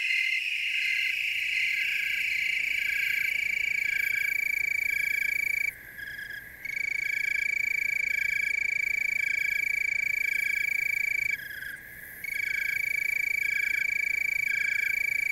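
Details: Tree crickets in chorus in the Willamette Valley, Oregon: a steady high trill with a pulsing overlay of softer chirps, the main band briefly dropping out twice before resuming.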